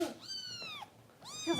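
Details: Harper, a foster kitten with Kitten Rescue volunteers in Los Angeles, during bottle feeding indoors: two high, harmonic-rich meows that arch upward and then fall, separated by a short pause.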